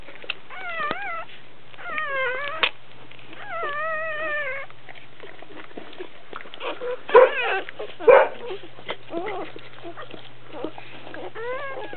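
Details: Dobermann giving birth, newborn puppies being born; high, rising-and-falling harmonic whines and squeals come in short bursts, with a couple of louder yelps midway over a steady low mains hum.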